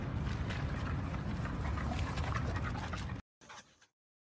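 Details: American Bully dog panting: quick breathy huffs at about four per second, steady for three seconds against a rough background hiss, then a sudden cut to silence with a short faint fragment.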